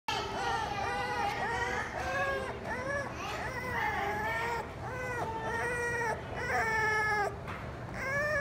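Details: Beagle giving a steady run of high, arched whining cries, each note rising then falling, about two per second for eight seconds, over a constant low background hum.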